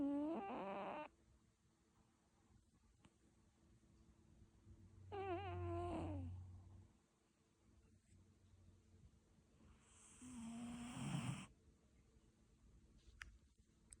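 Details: Slumbering cat giving three nasal, whistling snores about four to five seconds apart, each a second or so long, with quiet breaths between and a faint hiss during the last one.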